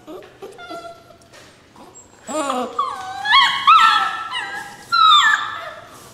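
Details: Rescue puppies crying: a thin whine at first, then a loud run of rising and falling whimpers from more than one pup, with brief pauses between the overlapping cries.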